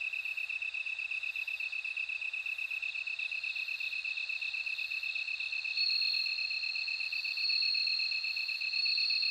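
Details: Bell cricket singing: a steady, rapidly pulsed high trill runs throughout, joined after about six seconds by a louder, clear ringing tone just above it, in quiet surroundings.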